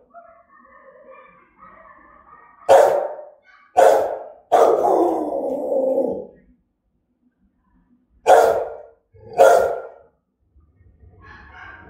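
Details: Angry Rottweiler barking aggressively and threateningly: soft whining tones first, then a burst of three harsh barks, the last stretched into a rough growl, followed by two more sharp barks after a short pause.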